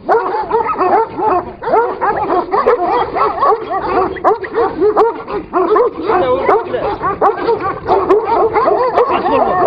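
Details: ['Kangal dogs, the Turkish shepherd breed, fighting one another: dense, overlapping barks and yelps pile up without pause, with a harsh, rough texture throughout.']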